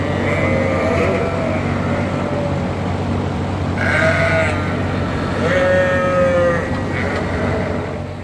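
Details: On September 5, 2022, at a sheep farm, several hungry sheep in the barn bleat in wavering, nasal, overlapping calls while waiting for grain. They go quiet once they are eating.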